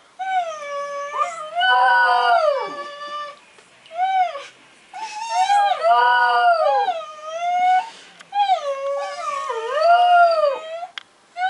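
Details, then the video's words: Border Terrier named Alfie learning to howl at home, joining in with a person's whining; drawn-out, rising then falling tonal howls with wavering pitch, several long bouts separated by brief pauses, roughly fourteen per minute. "Border Terrier Howling"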